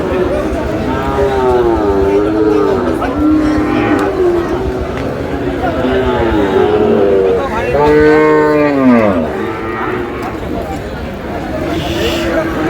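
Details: Sahiwal bull calves at a cattle market, bought by a farmer from Chittagong on 28 August: several drawn-out, wavering moos overlap, ending with one deep, long low at about eight seconds, over steady crowd and traffic murmur.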